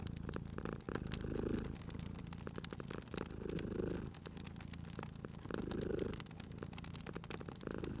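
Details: A cute cat sleeping at a crackling fireplace gives a low vibrating purr that surges on each breath, three swells spaced about two seconds apart, accompanied by intermittent wood pops and hiss from the fire.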